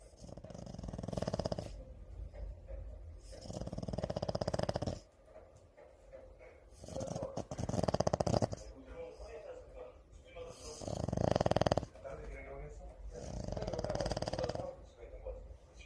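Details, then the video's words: French Bulldog asleep and snoring: long, breathy, rasping snores in slow rhythmic bursts, one every three to four seconds, with quieter gaps between breaths; no other clear sounds. "프렌치불독 코골이"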